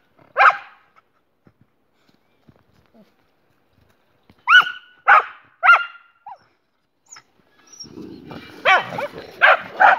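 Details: Jessie the German Boxer, alongside her friend Spike: one bark, a pause of several seconds, three ringing barks, then a grumbling noise mixed with further barks near the end.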